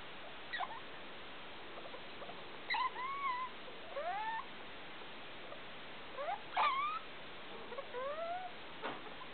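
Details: Felica, a pet degu, wakes her household at 2 a.m. with strange sounds, big light on: a run of warbling, upward-bending whistled squeaks and sharp chirps, several grouped together, over faint room noise.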